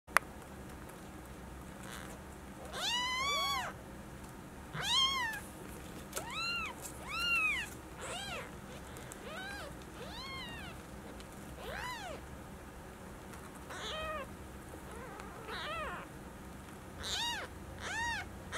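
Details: Newborn Maine Coon kittens, four of a litter born on 6 January 2018 at a Tokyo breeder; thin, high-pitched arching mews repeated every one to two seconds from several kittens, over a steady low hum.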